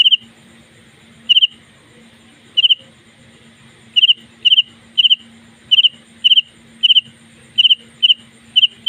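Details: A house cricket inside a home at night gives short, bright chirps of a few quick pulses, repeated at uneven intervals.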